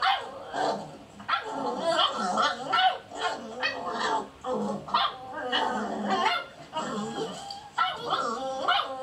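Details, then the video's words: Beagle puppies play fighting in a dog house while others outside want attention: dense, continuous yapping barks, whines and small growls from several pups overlapping throughout. "Beagle puppies out side wanting attention and other ones play fighting in dog house"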